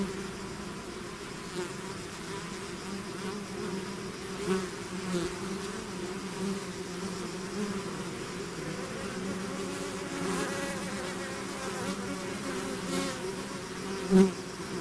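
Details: Loud, steady buzzing of a bee swarm out of its hive, a dense low hum punctuated by a few close passes, one especially strong near the end.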